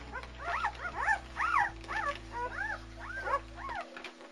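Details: German Shepherd puppies of the Anarchy and Core litter, born February 18, 2009, cry in rapid repeated arched squeals, roughly two per second, each sliding up then down, steady hum underneath until it stops near the end.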